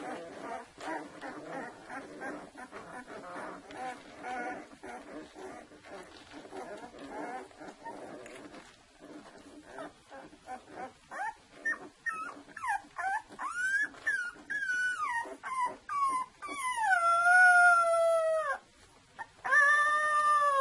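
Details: Two-week-old Saluki litter: soft rustling and faint squeaks at first, then clear high-pitched whines that rise and fall, ending in loud, drawn-out wavering cries.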